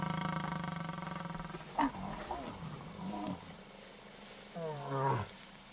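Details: Wild white lion Casper turning on the mother of his two cubs near Satara in Kruger National Park, South Africa: a sustained harmonic growl fades, then short sharp snarls and a final growling burst follow.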